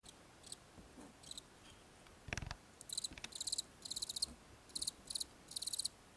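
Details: Farmed house crickets of the small white breeding type, called golden cricket in Myanmar: bursts of high, buzzy chirps that quicken into tight pulsed groups in the second half, with a dull thump near the start over faint background hiss.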